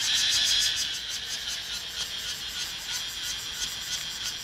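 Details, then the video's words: A cicada found at a petrol station sings very loudly, a continuous buzzing drone with a fast pulsing throb. "จักจั่น ในปั๊มน้ำมัน"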